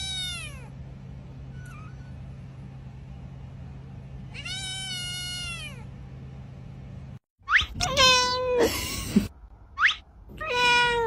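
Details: Domestic cat meowing: long drawn-out meows with rich harmonics, falling at the end, one at the start and another near four seconds, then louder, sharper meows in quick succession over a steady low hum, with brief cuts between segments.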